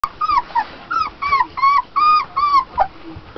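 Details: Hungry 24-day-old German Shepherd puppies (five males, three females, black-and-tan and sable) whimper in short, high, wavering whines over and over while their mother feeds them, March 4, 2008.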